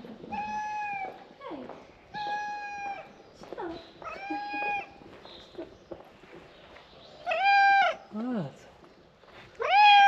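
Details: Stray tabby cat calling to people after its stray friend was frightened; loud, repeated meows, some long and level, others sharply falling, roughly every two seconds, while a person calls the cat closer and claps.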